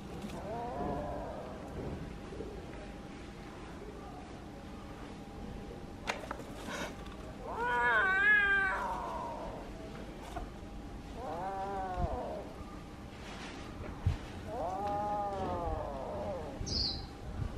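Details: Kitten pleading for something with a series of spaced, arched meows, one louder and higher in the middle, separated by quiet pauses and a steady faint hum.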